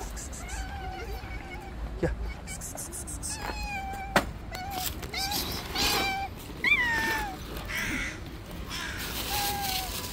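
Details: Street cats fighting in a white cat's territory give drawn-out, strained howls that bend upward then droop, several rounds in a row, with sharp thumps and low background traffic noise.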